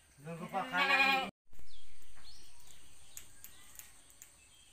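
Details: Goat at a village farm with nine newborn kids from four does in one week; one short, harsh, trembling bleat opens, then cuts off into a fading steady tone.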